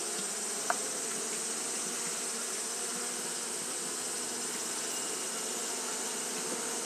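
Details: Japanese honey bees fanning continuously on a hot day, a steady dense hum of many wings with mid-low droning bands and a bright hiss high above, one short click near the start.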